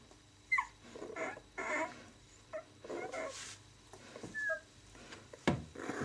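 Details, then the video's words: Six-day-old White German Shepherd puppies of the "of White Night" B litter, indoors: brief, faint, high thin squeaks and whimpers come at scattered moments over steady soft rustling and shuffling, with a sharp knock near the end. "Weiße Schäferhund Welpen "of White Night" B-Wurf 6.Tag"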